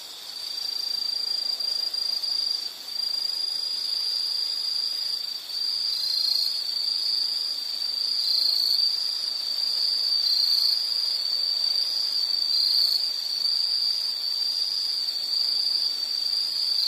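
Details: Insects calling in a nature soundscape meant for study or sleep relaxation: a steady high-pitched continuous trill with faint upper harmonics, rippling slightly in loudness throughout, with no other clear sounds.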